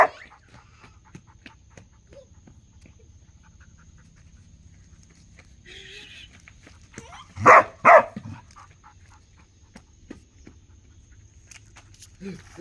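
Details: Dog giving two loud, sharp barks in quick succession midway through, with quiet background noise and a faint steady high tone before and after.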